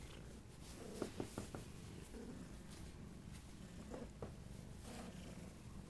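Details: Siamese cat Dory, after trying to get out of a giant box, purrs softly in a low, steady rumble, with a few small clicks and taps over the quiet purring.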